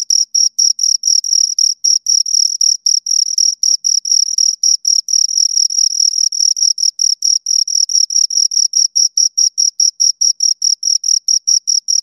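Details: Pair of crickets heard at close range, producing high-pitched scraping chirps in a fast, even series of short bursts, some running together into longer trills, against complete silence otherwise.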